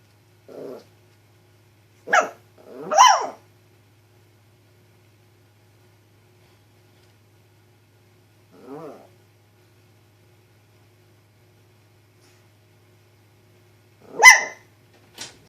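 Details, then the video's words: Female Chihuahua standing up to a chicharra (cicada), an insect that usually terrifies her. Five short, yappy barks come at irregular intervals, some high and shrill, with long silent gaps between them. The last bark is the loudest. "Chihuahua vs Chicharra (cicadas)"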